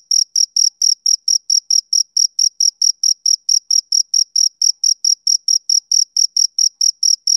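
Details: Chirps of a male cricket on a summer evening: bright, high, metallic pulses in a brisk, even rhythm of about four a second, with a still, empty background.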